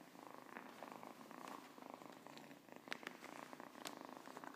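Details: Purring Siamese cat, close and rhythmic, the throaty rumble pulsing in quick regular beats with a few soft clicks and rustles over it.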